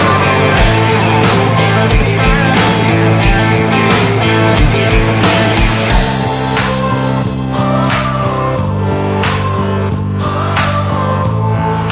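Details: Loud, driving rock music with heavy guitars and steady drum beats plays throughout, with no animal sound.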